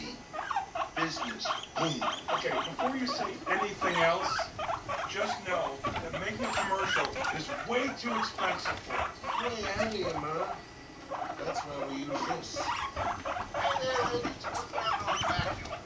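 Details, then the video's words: Male Rumply courting and mating with Fluff, a five-month-old female guinea pig; continuous stuttering purr-like pulses in bursts, pausing briefly near the middle before resuming, with light rustling beneath. "Guinea pigs mating"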